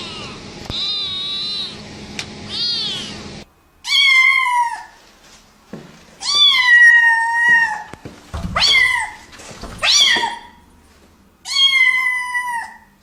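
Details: Angry domestic cat yowling indoors, drawn-out wavering cries each lasting about a second, five in a row separated by short pauses, preceded by a rougher, noisier wail with a background hum.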